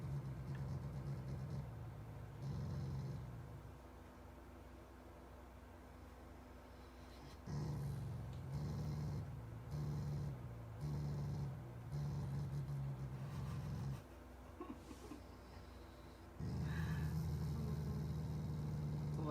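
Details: Shiba Inu, a loving family dog, growling affectionately at its owners and snorting like a pig, not angry; low, rumbling, grunting growls in bursts of a few seconds with short quiet gaps between.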